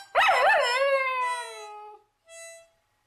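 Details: Miniature Schnauzer (Canis lupus familiaris), howl.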